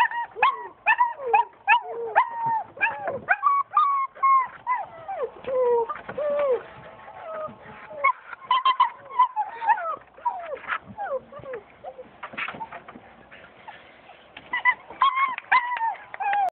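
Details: German Shepherd puppies, born 20 September 2011, whine and yelp in a busy, overlapping chorus of high, wavering cries. German Shepherd.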